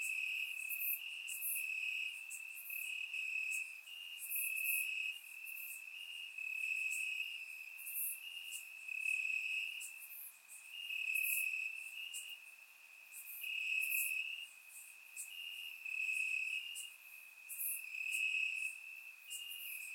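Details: Warm summer night in Bulgaria with crickets chirping in the grass, recorded in surround sound; dense high trilling that pulses rhythmically in louder waves every second or so from multiple insects.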